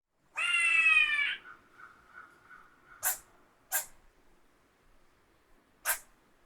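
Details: Squirrel. A squirrel lets out a single loud, harsh screech lasting about a second, slightly falling, and trailing into a thin, steady tone. Three brief, sharp clicking sounds follow at uneven intervals.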